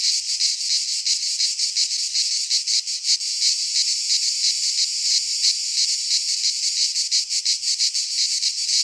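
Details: A continuous shrill cicada chorus fills a Greek pine forest in midsummer. Grainy buzzing pulses beat rapidly and grow more distinct near the start and the end.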